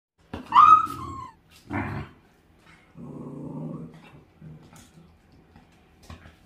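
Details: Pet Welsh Corgi showing herding instinct while with a dachshund at home: a sharp rising yelp, then a short throaty outburst and a longer low rumbling growl, followed by faint scattered noises.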